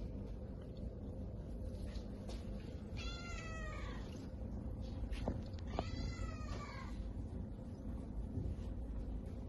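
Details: Domestic Shorthair cat up for adoption at a shelter gives two drawn-out meows, each harmonic and slightly falling in pitch, about three seconds apart, over a steady low indoor hum with faint clicks.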